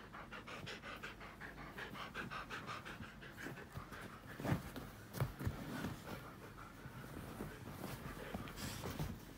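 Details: Siberian husky at home, pushy with its owner just before suddenly dozing off; steady fast panting in even rhythmic pulses, softening and breaking into a few louder huffs and shuffles midway.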